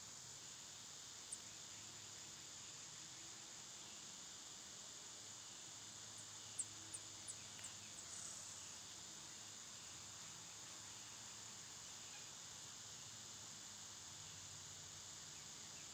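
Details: Cicadas in summer make an unbroken high drone. A quick run of thin, sharp chirps is heard at around six to eight seconds, and a soft low hum lies beneath.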